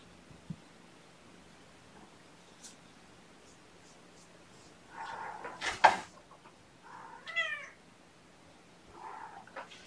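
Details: Drowsy kittens stirring awake indoors, snuggled with a person. After a quiet stretch, a few soft meows come in quick succession, one with a clear rising-falling tone, then a final faint mew.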